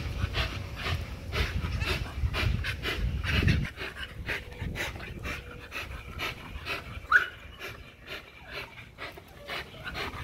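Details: XL American Bully pitbull on a spring pole pants quickly and irregularly; a low rumbling noise fills the first few seconds, then the breathing continues with a brief high squeak midway.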